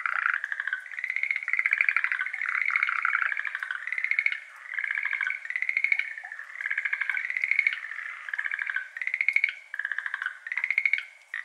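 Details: Schlegel's green tree frogs, a species endemic to Japan, chorusing at dusk in May in a flooded iris garden; strong pulsed, clattering trills follow one another closely in loud bursts, recorded binaurally on an ambisonic rig.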